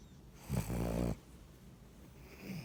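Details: A puppy sleeping with its eyes open snores once, a low rumbling snore of about half a second, followed by quiet breathing and faint room noise.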